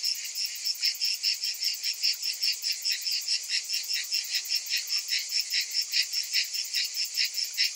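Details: Many cicadas buzzing in summer, a high rasping wall of sound that swells and fades in even pulses, a little over two per second.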